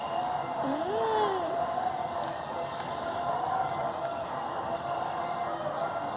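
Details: Indian cat pestering sleepers in bed lets out a single brief meow that bends up and then down, followed by quiet background hum and a few soft knocks.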